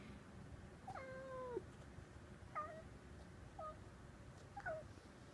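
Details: A cat eyeing birds through the window gives bird-like calls. A drawn-out, falling meow is followed by three shorter chirrups about a second apart, all clear against a hushed indoor background.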